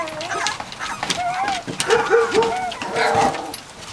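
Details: A litter of three-week-old Catahoula Leopard Dog puppies, Dixie and Beau's pups, giving a chorus of wavering whimpers and short squeals that overlap and rise and fall, with faint background voices and rustling.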